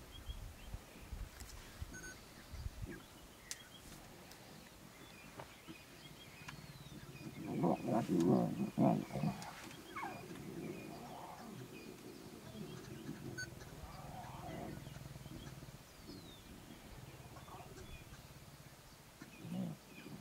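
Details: Wild lions, a family with seven cubs playing with the male and suckling from the lioness after surviving an attack; a harsh, harmonic growling burst of about two seconds swells midway, with shorter, fainter growls later over a steady low rumble.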